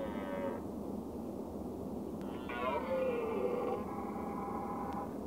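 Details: A red deer (Cervus elaphus) gives nasal, mid-pitched calls, the longer one sliding gently downward; finding: Red deer.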